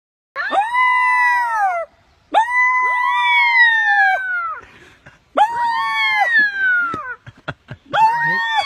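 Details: Pet coyote pup, adopted and taught to howl by its young owner, giving long wavering howls with rich harmonics that rise then slide down, three main bouts with short breaks and sharp yips near the end.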